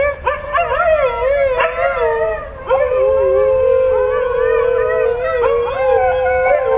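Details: Pet Siberian Husky howling in long drawn-out tones, some wavering up and down, broken by brief pauses and fresh onsets about every two to three seconds; low background rumble.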